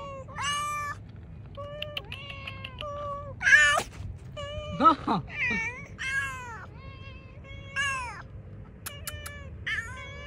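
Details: Hungry cats eating cut fish outdoors keep up a busy chorus of meows, some short and rising and others long and wavering, interrupted by a few harsh, noisy yowls and clicks.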